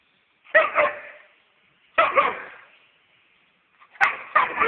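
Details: Weimaraner dog barking indoors: three rough, emphatic barks spaced about one and a half seconds apart, the last one doubled, each trailing off briefly, with nothing else audible between them.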